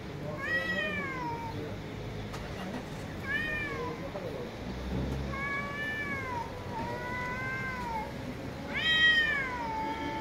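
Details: Several street cats meowing loudly; clear, drawn-out meows that rise then fall, some rising plaintively, repeated every couple of seconds, with background street noise and faint voices.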